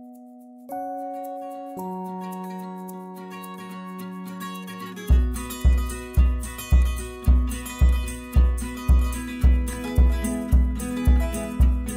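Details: Plucked guitar music with sustained chords, then a steady pulsing beat every half second, with no animal voice.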